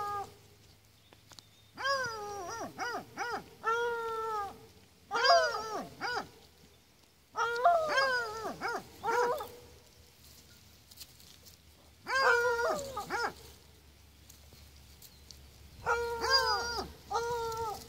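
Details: Miniature donkey uttering rapid runs of short, high, rising-and-falling harmonic squeals in bursts of several notes, with silent gaps between the bursts.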